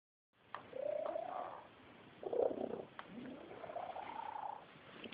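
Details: A young pet female cat makes its unusual purring sound: soft, wavering, tonal trills that rise and fall in a few drawn-out phrases, quiet and close, in a room without other noises.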